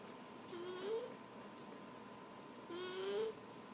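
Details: Apollo, a cat deeply asleep and snoring indoors, gives two whistled, rising tones about two seconds apart, each lasting roughly half a second, over a faint steady room hum.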